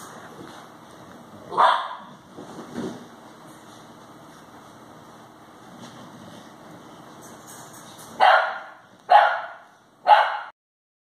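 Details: Alapaha Blue Blood Bulldogs at a 45-acre breeding farm: Elvis, an 8-week-old male puppy, plays with his sire Jack and a Chihuahua. A quiet stretch with faint rustling gives way to three loud, sharp barks about a second apart near the end.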